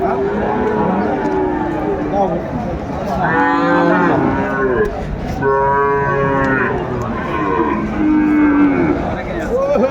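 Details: Sahiwal bull calves at a cattle market in Sylhet, Bangladesh, 29 June 2024: several loud, drawn-out harmonic moos overlapping one another, rising and falling, with background market noise.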